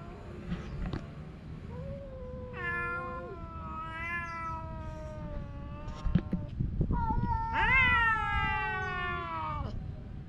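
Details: Male cat quarrelling with its girlfriend: overlapping drawn-out yowls and meows from two voices, some steady and flat, one ending in a loud rising wail near eight seconds, with a few clicks and thumps between.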